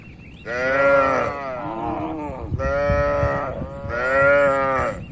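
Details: Dozens of cattle inside a spacious farm barn, resting and moving around. Three loud, rich, harmonic moos follow each other closely, each wavering slightly in pitch, with low shuffling barn noise beneath.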